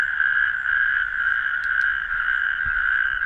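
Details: Natterjack toads, a pioneer species of warm open sandy habitats, in continuous rattling trills, loud and even, with a couple of brief high clicks and a low knock near the end.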